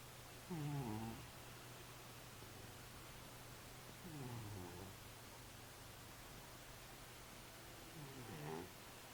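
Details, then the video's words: Sleeping cat snoring: three low, rasping breaths with a stepped, falling tone, spaced about four seconds apart, over a steady low indoor hum. "Кот храпит во сне"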